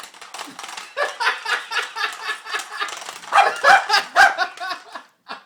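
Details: Froto the dog goes wild over a cat toy whose ball is stuck and out of reach. He gives rapid, high, harmonic yips and whines, about four per second, in rising and falling bursts, then pauses before a last short yip.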